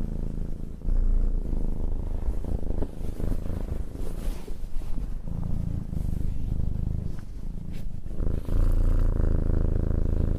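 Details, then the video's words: Cat being petted purrs in a deep continuous rumble that swells and fades with each breath, while stroking and rustling noises rise in the middle of the recording. "Cat Petting and Purring"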